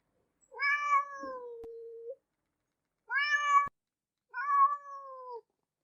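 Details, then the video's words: Three clear meows from a domestic cat: a long level call of over a second, a short sharp one, then a medium meow that sags slightly at the end, each separated by silence and rich in harmonics. "Som de Gato, Gato miando"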